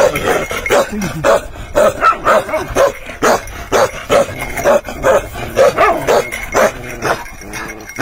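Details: Bakarwal dog barking in a steady run of short, mid-pitched barks, roughly two each second, over a constant background hum with faint tonal lines.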